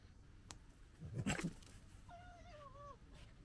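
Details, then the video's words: Wild European red fox cubs gekkering on 15 July 2021, one a bold young cub and the other the litter's dominant male; a brief harsh broadband burst, then a thin wavering whine rising and falling for about a second over low rumble. "Fox Cubs Gekkering"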